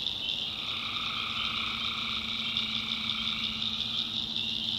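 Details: Tree frogs at night in a backwoods North Carolina swamp, an unbroken shrill, pulsing chorus in several pitch layers, joined by a thin, steady low hum throughout.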